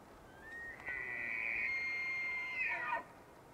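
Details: A bull elk bugles during the annual rut in Yellowstone National Park in the early morning, his breath visible: a high whistled note that rises, holds steadily, then breaks downward.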